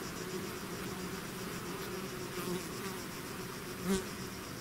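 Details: Dense buzzing of a bee swarm emerging from its hive, a constant humming mass with one bee passing close and loud near the fourth second.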